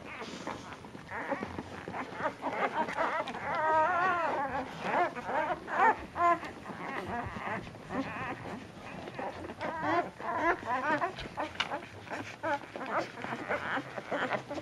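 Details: Puppies fighting over nursing at dinner time, two mocha-coloured runts of the litter unwilling to share; dense overlapping squeals and grunting whimpers, with a few clear rising whines standing out amid shuffling noise.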